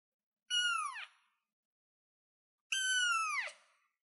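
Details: Baby cat on a chair meowing twice, about two seconds apart: loud, shrill calls that bend downward in pitch at their ends, with quiet in between.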